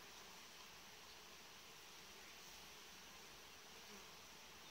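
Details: Honey bee colony inside a hive whose frames are set in a warm-bed arrangement: a steady, dense, unbroken buzzing hum holding level throughout, with a broad hiss-like texture and no other sounds standing out.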